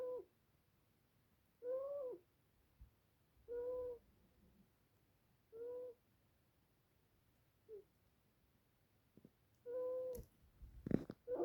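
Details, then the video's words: Nancy the ferret snoring: soft tonal whistling breaths recurring about every two seconds in a quiet room, with a few faint rustles near the end. "Nancy Ferret Snoring"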